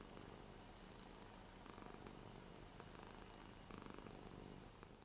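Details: Ragdoll Rara, eight years old, lies on a new bed indoors and purrs in an affectionate mood. A short, steady low purr carries a few soft rustles.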